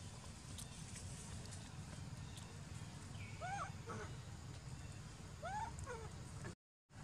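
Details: Sovana, an abandoned baby monkey, crying loudly and angry while taken back to her troop: short arched, wavering cries in two brief bursts over steady low rumbling background noise, with a clipped gap near the end.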